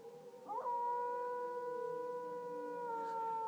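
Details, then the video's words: Howling dog joining a tornado siren: a quick upward swoop after half a second settles into a long, even, steady-pitched wail lasting nearly three seconds, with the siren sounding beneath. "howling with the tornado siren"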